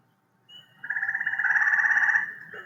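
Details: A gray tree frog (Hyla versicolor) gives a musical, pulsed trill, slower and more distinctly beaded than Cope's gray tree frog.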